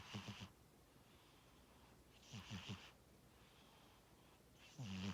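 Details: A pet cat named Tora snoring while asleep: rhythmic low rasping snores with breathy hiss, each about half a second long, recurring roughly every two and a half seconds in a quiet room.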